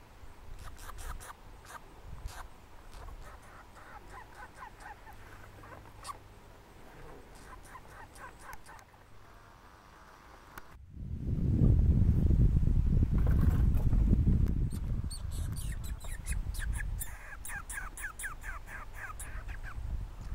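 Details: At Lac Boivin, Québec, Canada, a red squirrel gives rapid runs of dry, ticking chucks, several a second in bursts; a loud low rumble briefly covers the calls before the clicking resumes.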